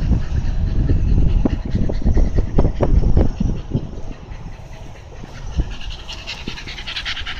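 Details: Panting Shiba Inu at an Amagasaki canal in Japan: rapid huffing breaths, roughly three to four each second, strongest early and easing toward the end over a low background rumble.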